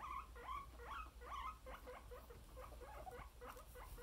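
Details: Happy pet guinea pigs making quick, repeated squeaky chirps, roughly three a second, each short and mid-pitched, louder at first and then softer and more scattered, over a low steady background hum.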